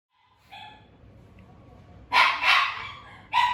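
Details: Pet Shiba Inu dogs rushing over during their owners' emergency at home: a short faint tonal yip, then a pause and three loud, harsh barks in quick succession near the end, with quiet room noise underneath.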